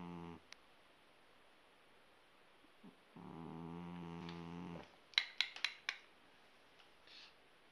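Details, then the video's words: Asleep Persian cat giving one buzzy, evenly held snore of about a second and a half in a quiet indoor setting, followed by a run of sharp clicking taps. "gato persa roncando como persona"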